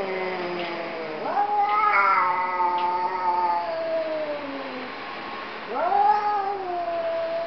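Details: Two domestic cats 'talking' to each other: a continuous, moaning caterwaul that rises sharply, then slowly slides downward over several seconds. A second rising yowl starts near the end, with overlapping voices in places.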